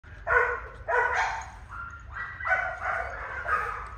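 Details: Male goldendoodle puppy giving a run of short, bright, harmonic yips and small barks, about six bursts in four seconds with brief gaps between them, over a faint low background rumble.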